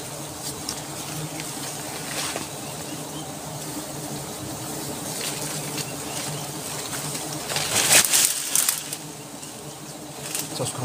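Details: Wild honey bees at a large nest hidden beneath leaves, disturbed during a forest honey harvest: a steady, low droning hum of many bees, with rustling, crackling handling noises and a louder burst near the eighth second.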